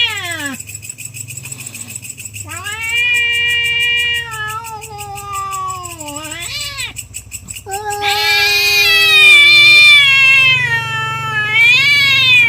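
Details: Domestic cats fighting over territory at night, long wavering yowls with rich harmonics, rising and falling, one cat answering another with higher, louder wails near the end; steady low hum underneath.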